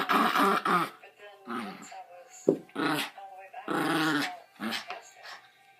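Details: Pet dog grumbling and growling in play during tug-of-war and petting; short, choppy growls and whiny grumbles in quick succession, mixed with some human speech indoors.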